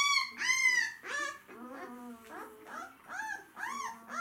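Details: Hungry White Swiss Shepherd dogs giving loud, tonal whines and yelps, each rising then falling, about two per second, with some lower drawn-out whimpers in between in a quiet room.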